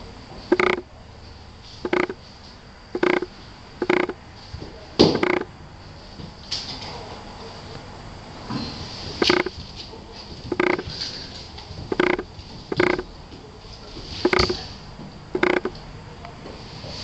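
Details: Female Tosa Inu Ajsinka and her six-week-old puppy Quinny Bella, red and black, from Diamant severu kennel; a steady run of clipped barks roughly every second over a quiet indoor background.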